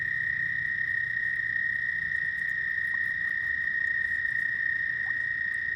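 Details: Frogs calling at night, a steady unbroken high trill holding one pitch with a faint overtone above, dense and continuous throughout, with a low rumbling hum underneath.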